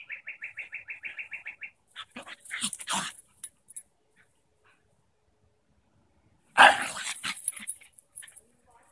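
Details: Two dogs, a Cairn Terrier and a Shiba Inu, playing together outdoors on a May day; a rapid run of high pulsed chirps opens, then harsh broadband barks and yelps come in bursts, the loudest near the end.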